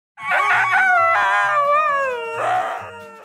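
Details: Two Siberian huskies in a home howl together in long, wavering wails that slide up and down and overlap, their owner calling it one of the most ridiculous sounds, saying once they start they don't stop.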